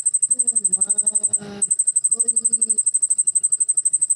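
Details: Cricket calling loudly indoors during the rainy season, a rapid high pulsed chirp repeated about ten times a second throughout, briefly interrupted, while a person speaks in low tones in the middle.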